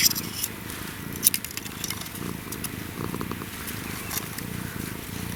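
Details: An African wildcat (Felis lybica) kitten purrs, a low, steady, rapidly pulsing rumble much like a house cat's.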